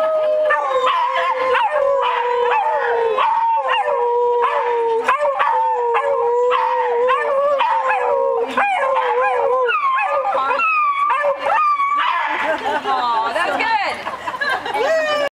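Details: Beagles at the 2nd Annual Beagle Cookout of the Richmond Beagles Meet-up group howl together: long, wavering, overlapping howls from several dogs hold steady, then break into higher, rising yelps and bays near the end.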